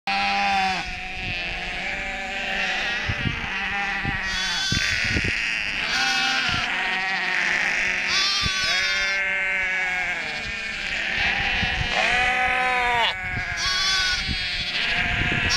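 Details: A whole flock of sheep bleats loudly and almost without pause, upset after lambing groups were just combined, many overlapping wavering calls of varied pitch from several animals at once, with occasional knocks and rustling.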